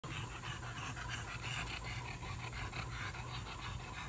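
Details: French Bulldog napping poolside at a resort, panting in quick soft breaths over a steady low hum and broad background hiss.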